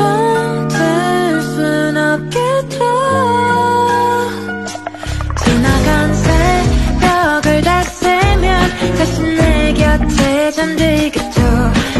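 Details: Pop-style music with a singing voice and steady instrumental accompaniment throughout, with no animal sound heard.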